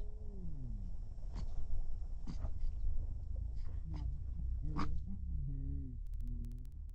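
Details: Cape mole rat calling: a smooth tonal note sliding downward at the start, then scattered clicks and taps, followed by a series of short low hooting notes that rise and fall in pitch, repeated several times.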